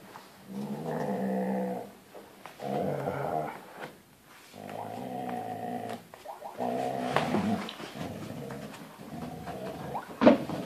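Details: Two Huskies, father and son, playing tug of war, growl in long rumbling bouts lasting one to two seconds, low and rough with breaks between pulls, ending in a louder snarling flurry and a sharp knock.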